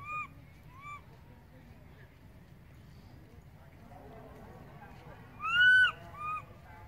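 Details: Baby monkey crying loudly for its mother after she has moved far away; a few short arched wailing cries, two early, then a louder pair near the end, over steady low rumbling background.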